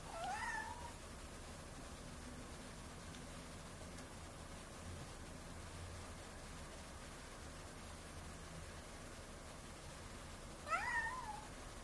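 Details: A domestic cat giving two brief meows, one at the start and one near the end, each a quick harmonic cry with a short rise and fall, separated by a long quiet gap.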